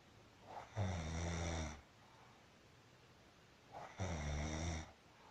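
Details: Marusya, a pet cat, snoring while asleep: two long, low, rasping snores about three seconds apart, each roughly a second long with a soft inhaled lead-in, in a quiet room.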